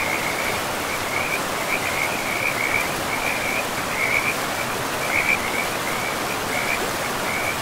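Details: Frogs in a pristine, moss-covered forest beside a river give short, high trilled notes at a steady pitch, repeated in quick bursts throughout, over a constant loud rush of flowing water.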